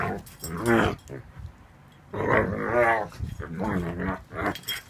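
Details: A 7-month-old Ibizan Hound making funny noises: drawn-out, wavering groans and whines, rising and falling in pitch, in three bursts with short pauses between.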